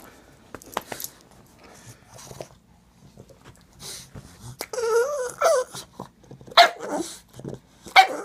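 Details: A needy pet pug protests when the scratching stops, making a wavering, moaning whine that rises and falls in pitch, followed by short sharp yelps, amid handling noises and quiet indoor sounds.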